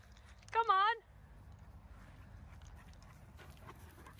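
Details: Irish Wolfhound Nell, a four-and-a-half-year-old female back with her breeder, being reintroduced to her brother and sister within a home pack of eleven wolfhounds; one loud, wavering, high whine lasting about half a second, followed by soft rustling.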